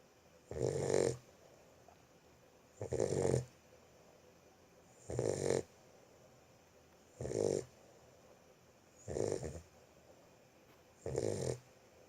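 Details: A Boxer puppy snores in its sleep: six loud, rasping breaths evenly spaced about two seconds apart, with quiet pauses between.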